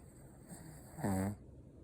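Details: A sleeping Shih Tzu gives a single short, low snore with a buzzy, harmonic rasp lasting about a third of a second. Otherwise the room is quiet apart from faint hiss.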